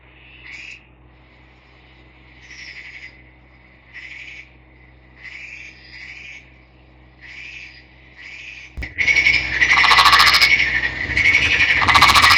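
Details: Captive green Nagoya Daruma pond frog, a male caught by net in a river, calling: short creaky bursts repeated about every 1.5 seconds, then louder, denser rattling calls in the final seconds.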